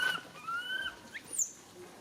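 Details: Rain, a baby monkey, cries out for its mother Rany, asking for help. Thin whistled tones, one long and nearly flat, give way to short upward-sweeping squeaks over faint background hiss.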